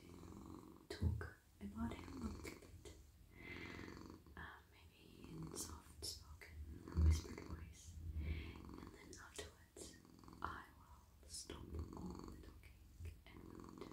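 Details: Purring male domestic cat relaxing in a lap while being stroked on head, neck and whole body; a strong, low, steady rumble dominates, broken by occasional brushing and tapping noises from the petting.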